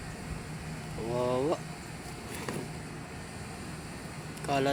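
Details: Hungry sheep in a yard in Candelaria, chewing and tugging at cardboard because there is not enough grass, give two wavering, harmonic bleats about three seconds apart, the second cut short, over a steady engine-like hum and a man's voice.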